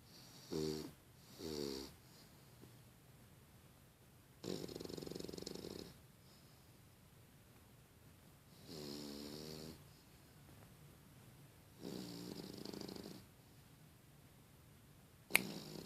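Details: Five-month-old female English Bulldog snores loudly in rough, rattling breaths, with quiet pauses between each one.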